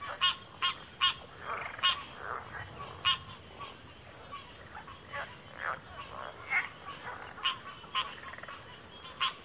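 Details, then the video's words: Frogs calling in a backwater chorus, sharp broadband clicks and croaks at irregular intervals, some clustered early, softer distant croaks between, with a constant high-pitched insect whine throughout. "FROGS - Pig Frogs, Water Frogs, Backwater Chorus, & Frog Chorus"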